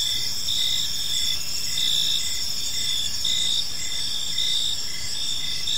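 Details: On a peaceful park evening, crickets trill in a dense high-pitched chorus, punctuated by repeated short chirps, over a noticeable low rumble of background noise.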